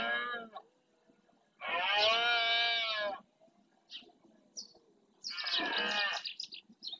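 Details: In the Doñana marshland of Spain, a rutting red deer male roars to claim his territory: three drawn-out, hoarse, resonant bellows, the middle one longest, with brief faint sounds between them.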